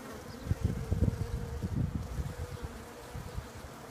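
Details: Bees giving a continuous low hum, a clear sustained buzzing tone that stays level throughout, with bursts of low thudding noise in the first two seconds before it quietens.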